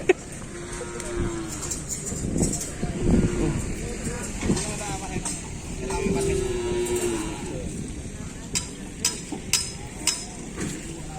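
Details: Cattle at full training on the Asemanis track in Pamekasan, preparing for a kerapan sapi bull race: two drawn-out, steady low moos, one early and one near the end, amid lively chatter of people and scattered sharp clinks.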